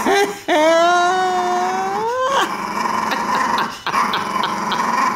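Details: A two-year-old, four-pound Chihuahua guards a T-bone steak bone and intimidates a fawn Doberman during play: a long, loud, rising whining growl with strong harmonics that swells over two seconds, then a rougher sustained growl, a short break and more growling.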